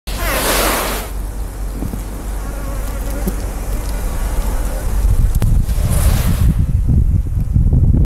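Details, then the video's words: Asian honey bee (Apis cerana) workers in an observation colony hissing when approached by a threat, picked up by a microphone on a stick; a dense, rough broadband hiss with bursts of high rushing noise near the start and around six seconds, low rumble underneath. "Apis cerana worker hissing"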